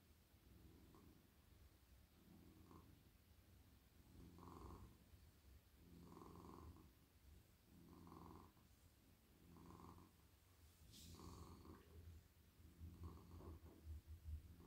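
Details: A very friendly male domestic cat purrs in a lap as he is stroked at night. The low, buzzy rumble comes in even surges roughly every 1.7 seconds with his breaths, plus a brief rustle near the end.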